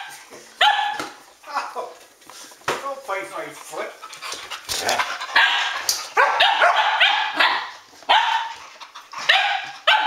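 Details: Several Standard Poodles from Arreau Standard Poodles at midnight, August 12th 2014, playing and tussling; repeated sharp barks and yips in irregular bursts, with a person speaking now and then.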